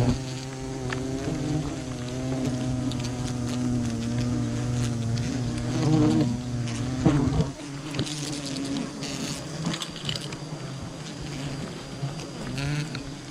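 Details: Wild bee colony buzzing during honey hunting: a dense, steady droning hum with layered low harmonics, interrupted by sharp knocks and a sudden drop near seven seconds before the swarm's hum resumes more thinly.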